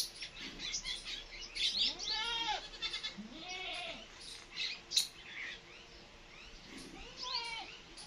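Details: Mother cat feeding two kittens, which meow repeatedly. Several short arching meows come in quick succession over the first four seconds. A last thinner cry follows near seven seconds over steady rustling and hiss.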